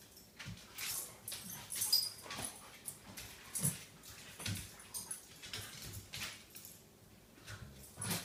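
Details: Two dogs wrestling indoors in the morning: bursts of breathy huffs, snorts and short growly grunts at irregular intervals, with scuffling and thumps of bodies on the floor.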